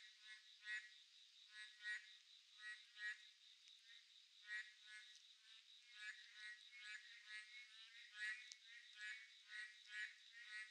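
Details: Boreal digging frogs calling on a midsummer night: short, nasal, harmonic croaks in bursts of overlapping callers about every second, over a steady high insect buzz.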